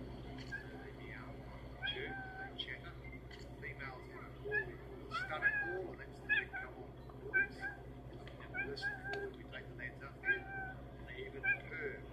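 Cheetahs call in brief, high-pitched meows and chirping mews, repeated irregularly like a house cat's but sharper. A person talks throughout, with a steady low hum underneath.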